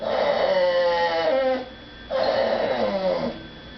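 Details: Female pet dog crying indoors while people eat elsewhere and she is barred from begging at the dinner table; two sustained moaning whines, each sliding downward at the end.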